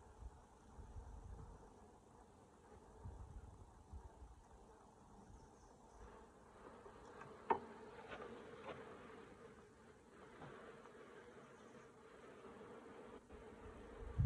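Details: Honey bees at a hive being worked by a beekeeper using a smoker: a soft, even drone hums under the scene, broken by occasional clicks and one louder knock from the equipment.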